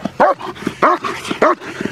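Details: German Shepherd protection dog in training, barking hard three times in quick succession, each bark loud and full and spaced about 0.6 seconds apart, with faint breathing between.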